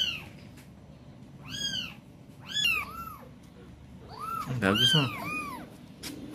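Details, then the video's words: Young kitten in Palembang, left by its mother who has gone missing, calling repeatedly: loud arched meows rising then falling, about five in quick succession, some overlapping, with a person talking softly nearby. "Si Meong Lucu"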